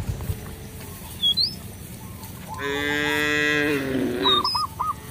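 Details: Cattle roaming a village field, calling companions home to the barn; one strong, sustained harmonic moo of about a second dominates, with faint chirping birds before and after.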